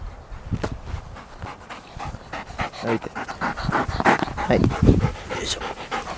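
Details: Golden Retriever let out to roam, panting in quick, uneven breaths of about three a second, louder toward the end, with faint human voices now and then.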